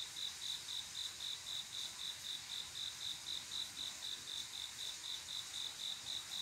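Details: Summer night cricket, a male calling for a female: bright, regular chirps at about four per second, steady and unbroken, over a faint hissing background.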